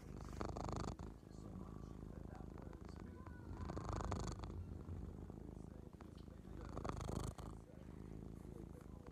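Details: A pet cat purring very loudly indoors, a continuous low rumbling throb that swells and fades in several waves, with faint clicks and handling noises mixed in.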